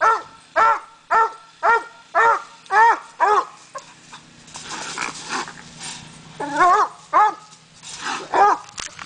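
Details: Treeing coonhound barking at a raccoon on a coon hunt: a run of regular harsh barks, then a noisy rustling pause, a few wavering rising-and-falling bawls and more scattered barks.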